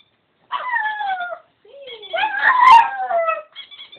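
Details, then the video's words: A pug singing: two drawn-out, wavering tonal howls that slide gently downward, the second louder and longer with a sharp click near its peak, separated by a brief pause. "the pug singing"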